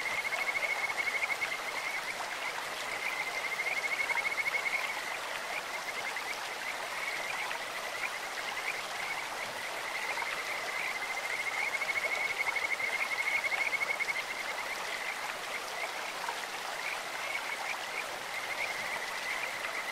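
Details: Kajika frogs calling in a clear stream with a voice like a bird or insect: several high, even-pitched trilled whistles, clearest near the start and again around twelve to fourteen seconds, over a steady wash of running water.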